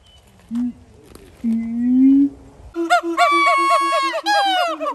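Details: Siamang at Dubbo Zoo: two low, level hoots, then a loud run of rich, rising whoops repeated rapidly in the second half, overlapping and growing more intense.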